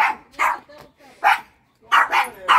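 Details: A domestic dog barks at something outdoors in a rapid run of sharp, bright barks while its owner, a woman, speaks between them.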